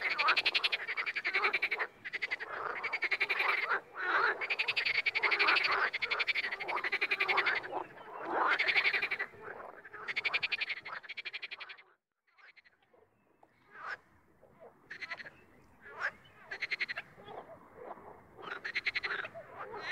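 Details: Frogs calling in the wild, loud bursts of rattling pulsed croaks that overlap, then a sudden near-silence around the middle before scattered, shorter croaks return in uneven clusters.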